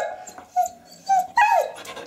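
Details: Eurasier dog, a female pet at home, screaming and 'talking' because she wants to go out for a walk: three short, high, drawn-out whining cries, the last rising then sliding down, with brief quiet gaps between.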